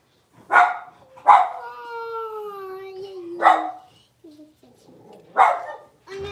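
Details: Blenheim Cavalier King Charles Spaniel puppies, six weeks old, in their home puppy pen: short sharp yaps about every second, with a long, slowly falling whine drawn out between them.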